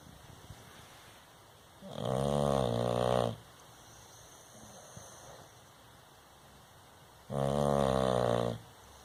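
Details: Sleeping Bulldog snoring: two long harmonic snores about 1.5 seconds each, separated by roughly four seconds of quiet breathing, with a faint steady background hiss.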